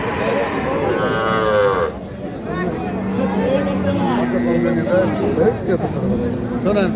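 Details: Sahiwal, Sindhi and local-breed dairy cows with calves at Khochabari cattle market, Dinajpur, 19 January 2026; a drawn-out harmonic moo rises early, then lower bellows follow beneath steady crowd chatter and men bargaining.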